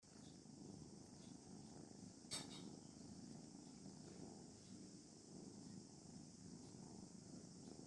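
A contented kitten purrs in a low, steady rumble beneath a constant high hiss.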